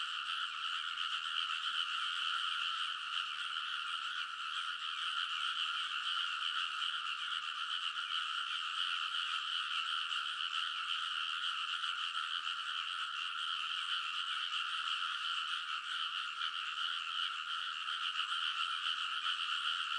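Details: Massed chorus of frogs calling from the ridges of a rice field in Kōnosu, Saitama Prefecture, Japan, late at night in early summer, captured with a TASCAM Portacapture X8; continuous thick layered croaking without pauses, even and constant for the whole stretch.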